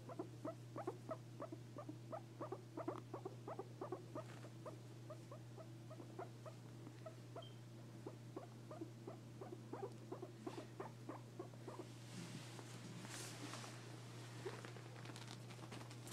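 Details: Guinea pig giving a fast, steady train of short pulsed squeaks, several per second, over a constant low electrical hum, with rustling noise rising near the end.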